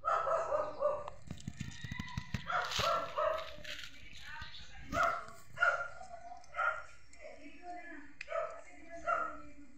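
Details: A neighbour's cat gives a run of roughly ten short, clear meows at irregular intervals, some rising and falling, mixed with a few faint clicks and taps.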